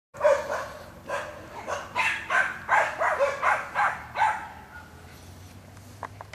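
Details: Jack Russell Terrier working on wild boar, giving a rapid run of sharp, loud barks, about three per second, which then fade out, with a faint low hum beneath.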